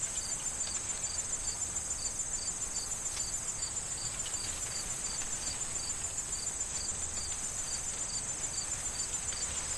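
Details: Autumn corn field with wind and crickets: regular high-pitched chirps repeating roughly three times a second above a steady ringing drone, corn stalks rustling faintly in the background.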